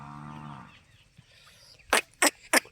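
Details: Dairy cow for sale near Dhanera gives a short, low moo of about half a second, followed by quiet and then three loud, sharp knocks about a quarter second apart.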